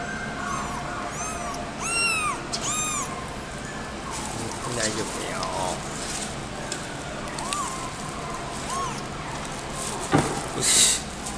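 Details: Somali cat at a pet shop in Nagoya, Japan, giving a run of short, arched, high mews in quick succession, then a few softer ones later, over steady shop background noise.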